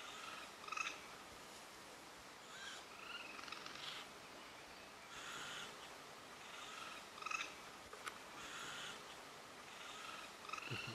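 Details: Young raccoons in the mountains of Japan, three kits that fell while failing to climb a steep cliff, give loud, high, whistled chirps with soft twittering chatter on noticing an observer, before their mother comes down to carry them up.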